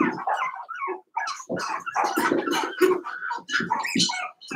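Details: Five-week-old Cavalier King Charles Spaniel puppies indoors in Daisy's puppy pen, crowding together with high, wavering whines and squeaky yips that overlap almost without pause.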